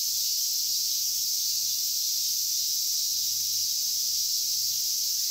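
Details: Cicadas at Inagi Central Park, Japan, with large brown and minmin cicadas named and caught by hand; a continuous, even, shrill buzzing drone fills the whole stretch, level and unchanging, with a faint low hum beneath.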